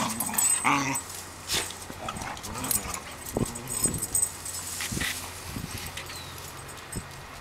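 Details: Two Cocker Spaniels bickering and fighting, with low rumbling growls, sharp snaps and brief whimpers.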